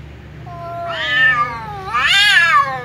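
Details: Domestic cat meowing while a ginger cat and a silver cat drink together: two long drawn-out harmonic meows, the first level then rising, the second louder, rising to a peak and falling away, with a low steady hum beneath.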